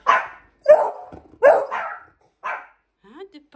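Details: Dog barking indoors during bell-ringing training, with Hendo, a 10-month-old Pomeranian, and Salto the beagle in the room: four sharp, harmonic barks spaced under a second apart, followed by a woman's voice speaking Norwegian.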